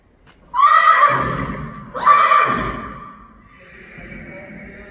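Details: Friesian horse at its home stable, as a mare leaves with her new owners; two loud whinnies about 1.5 seconds apart, each starting high and falling with a shaky, quavering tone, followed by soft background rustle.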